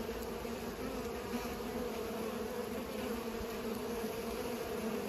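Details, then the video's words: Busy bees pollinating, a continuous buzzing hum with steady loudness, a couple of faint clicks or ticks sitting over the droning wings. "Bees are pollinating"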